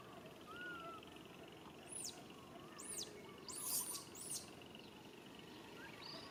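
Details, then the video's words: Baby monkey calling its mother for help: a few high, arching squeals at intervals over a steady hiss of insects or background noise, with fainter lower chirps. "Po-or baby monkey RAIN calling mom RANY to helps but can't."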